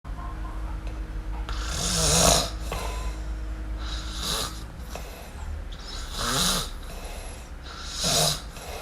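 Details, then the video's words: Sleeping kitten named MiuMiu snoring indoors: soft, breathy rasping bursts that swell and fade roughly every two seconds over a steady low background hum. "Cute Kitten Snore! Cute Miumiu Snore"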